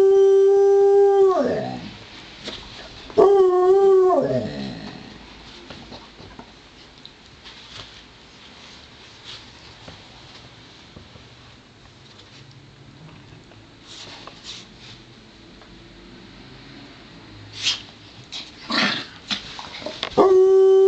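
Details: Two dogs wrestle in play: Joplin, a Ridgeback mix, and Romeo the Pomeranian. Two short, steady howls open the stretch, then a long quiet spell with faint scuffles and clicks. A final howl rises at the end.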